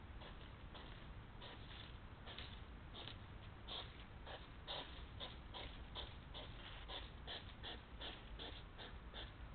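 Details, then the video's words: Quarrelling hedgehogs meeting at feeding places, squabbling over food or females: rapid, regular puffing snorts, several per second, continue without pause through the stretch against a low constant hiss. "egel kan weer niet rustig eten"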